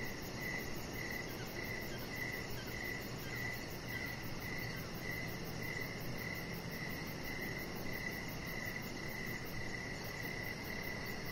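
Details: Outdoor evening cricket chorus by a deck with decoration lights, steady chirps pulsing about twice a second over a faint high-pitched rapid trill and an unbroken wash of background noise.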